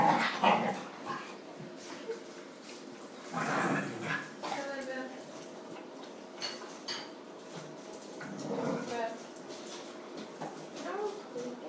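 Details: Puppies from a large indoor litter whimper and whine in thin, wavering tones. The household has twenty dogs, including a Dalmatian mother with thirteen pups. Human voices talk over the calls, and there are faint yips in between.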